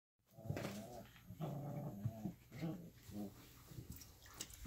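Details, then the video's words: Alaskan Malamute puppies, 3.5 weeks old, playing together; short low growling grunts and whines come in bursts about every half second to second, with a steady low hum underneath. "3.5 weeks Alaskan Malamute Puppies Playing"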